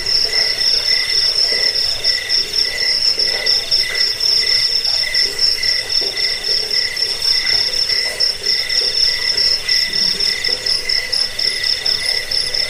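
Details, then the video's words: High cricket chirps pulse steadily, roughly four bursts a second, over a soft lower ringing tone. The recording is used for driving away rats, as a sleep aid and for songbird training. "Suara jangkik"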